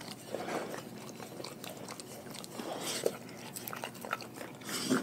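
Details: A pack of dogs eating raw food in a small room, crunching and biting steadily, with sharp louder crunches standing out near the middle and at the end.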